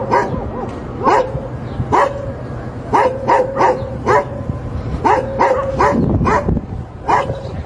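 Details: Repeated barking of a Labrador retriever, with abrupt, forceful woofs arriving in quick runs of two or three and then pausing, against a continuous low background hum.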